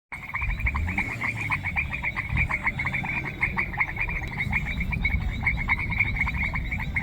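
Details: Frogs calling in a semi-humid rural grassland, natural ambience with no music: a dense chorus of rapid, repeated clicky croaks from several callers overlapping continuously, with a low rumbling background.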